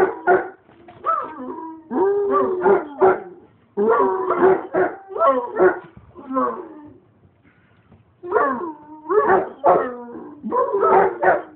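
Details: Basset Hound kept as a pet howls in repeated bursts of quavering, yelping cries, each lasting about a second, with short gaps and a brief lull in the middle.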